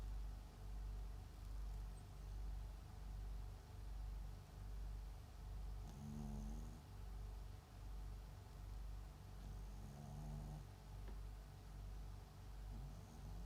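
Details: Papillon × Japanese Chin mix dog named MAX snoring while asleep at home: soft, low rumbling breaths in a steady rhythm, a little faster than one per second, with a faint higher rasp near six and ten seconds.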